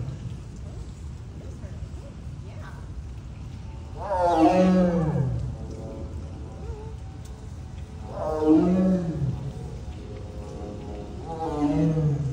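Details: Whirl, a tiger, gives mighty, deep, rumbling roars with strong harmonics, repeated about every four seconds.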